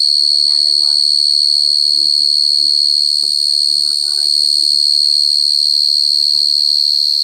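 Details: A cricket's steady, shrill trill runs without pause at one high pitch, while quieter human voices talk underneath throughout.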